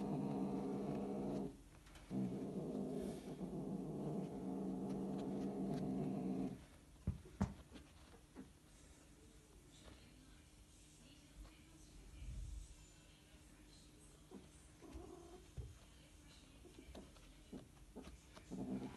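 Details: Scottish Fold cats during mating, giving a loud, sustained, throaty wail with strong harmonics for about six seconds, a short break near the start, then falling to quiet room sound with faint scattered thumps and shuffles.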